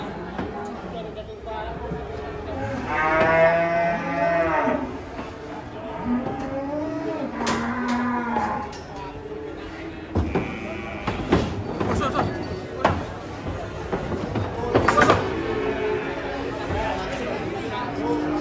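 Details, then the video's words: Startled, raging cattle lowing: a long, loud harmonic moo near the three-second mark, a second drawn-out call around eight seconds, then shorter broken calls, with people talking and clapping close by. "KUMPULAN SAPI LUCU NGAMUK SERU BIKIN NGAKAK"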